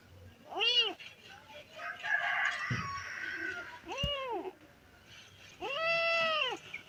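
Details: Stray kittens calling in distress for their dead mother: three loud, arching meows spaced a few seconds apart, each rising then falling, with faint background noise between cries.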